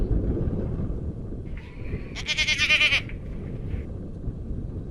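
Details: Single wavering, pulsed bleat from a Garut goat, under a second long, preceded by a fainter nasal call, over steady low-pitched rumbling background noise on a farm.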